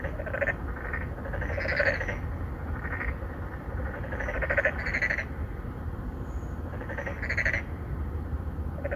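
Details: Endangered narrow-mouthed frogs, three or four in an apartment-complex pond in Incheon's Songdo, Korea, courting females; rasping pulsed croaks about twenty times a minute, clustered in pairs and trios, against a low steady background rumble.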